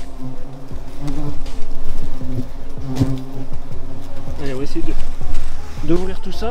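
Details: Loud low buzzing from a hornet nest under building insulation, a continuous humming drone whose pitch wobbles and bends at times, overlaid with irregular taps and rustling knocks.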